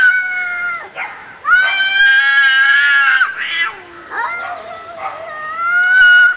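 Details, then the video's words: Two cats fighting, loud drawn-out wailing yowls with rising and falling pitch, long strained howls broken by short gaps and a lower growling moan in between. "real fight of two cats"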